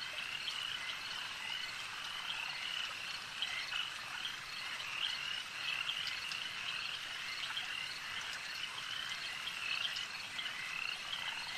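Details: Frogs at a lake keep up a long, even chorus of high, thin trills, with scattered short chirps and soft clicks through the mix and the overall level holding steady.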